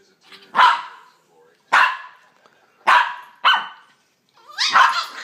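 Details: Two puppies play fighting with strange, monkey-like vocalizing: four separate harsh yelping barks roughly a second apart, ending in a longer, rising squealing yelp.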